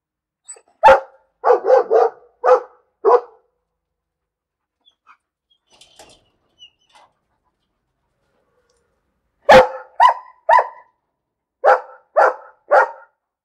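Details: Dog giving repeated barks in two series, each made of five or six evenly spaced barks with a slight tonal edge, separated by a quiet gap.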